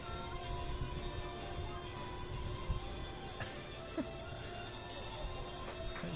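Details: Steady music with layered tones plays throughout, with faint speech underneath and no animal voice standing out.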